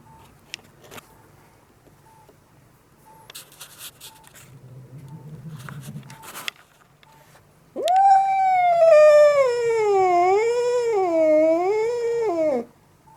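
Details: Angry yelling cat: after quiet room noise and a low rumble, one loud five-second wavering howl that undulates up and down in regular waves before stopping abruptly.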